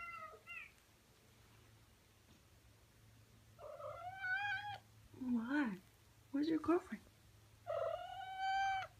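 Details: Male Persian cat calling to a cat he has seen online and taken a fancy to: a series of drawn-out, harmonic meows, some bending up and down and some dropping into lower, rough, wavering tones, with short quiet gaps between.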